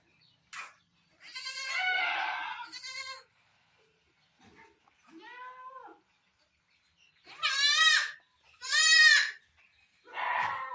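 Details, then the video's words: Barbari goat at a Sultanpur goat farm around delivery time, giving birth: loud, wavering, harmonic bleats, some long and quavering, others short, about six calls with silent gaps between them. "barbari goat delivery time"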